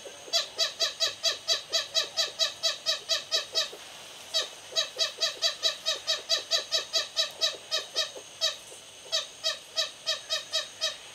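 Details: Lesser galagos, tiny primates nesting in a thatch roof at Raptor's View Wildlife Estate, South Africa: bursts of bright, harmonic chirps about two per second, broken by short pauses, with faint hiss behind.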